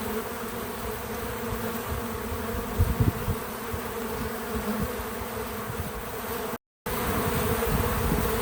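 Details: Bees at work around a feeder, unaltered natural audio: a continuous droning hum with stacked low harmonics, brief louder flickers of wingbeats from passing insects, and a short moment of silence before the drone resumes.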